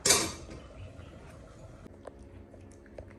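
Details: A loud clatter of dishes and cutlery opens, followed by quiet clinks of glass in a small indoor room.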